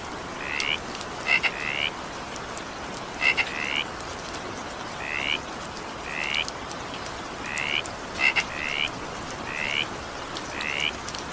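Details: Evening rain with frog calls: rising buzzy croaks repeated about thirty times a minute, irregularly spaced, with occasional sharp double clicks, beneath a continuous wash of falling rain.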